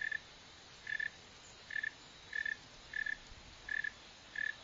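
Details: Chirps of a northern mole cricket (Neocurtilla hexadactyla), shown digging and running: seven brief buzzy bursts at an even pitch, repeated roughly every three-quarters of a second, with faint background hiss.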